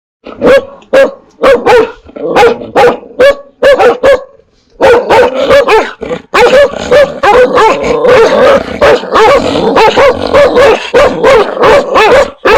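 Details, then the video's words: Dogs and puppies barking, fierce toward strangers and also at familiar people. Sharp barks come in quick bursts and then merge into a dense, near-continuous chorus of overlapping barks. "Âm Thanh TIẾNG CHÓ SỦA và CHÓ CON sủa | Sounds of DOGS and PUPPIES barking"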